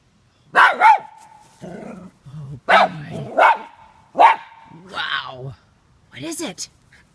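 A Cairn Terrier lets out short, sharp barks in irregular bursts, some with a rough, growly edge, as it guards its yard. People's voices chatter in between the barks.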